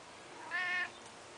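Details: Domestic cat outdoors on a summer morning, meowing as if commenting on a feeding flock of corellas: one short, quiet, tonal meow, steady and slightly nasal, in an otherwise hushed setting.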